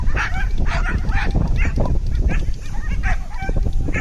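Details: Koga, a corgi running a Coursing Ability Test at the Klimb Classic in Maquoketa, Iowa, in 2022, excited while chasing lures; loud, rapid, harsh barks repeated several times a second with outdoor background noise.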